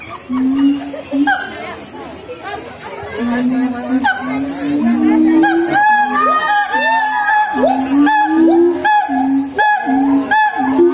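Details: Siamang singing: a series of loud, level hoots and rising whoops, repeated roughly every half second and building in intensity, with background chatter from people.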